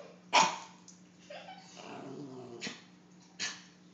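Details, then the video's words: Pet dog named Teddy, afraid of a clown, gives a sharp loud bark, then a low growling rumble and two more short bursts, with a steady electrical hum underneath. "My dog is scared of clowns...."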